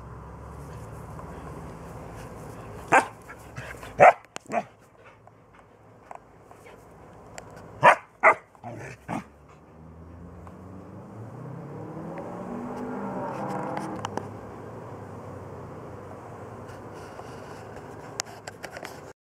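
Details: Three-month-old Bernese Mountain Dog puppy trying to get a 14-year-old mixed-breed dog to play, filmed June 7, 2014: sharp single barks in clusters of two or three over the first nine seconds, then a longer low whining, grumbling stretch.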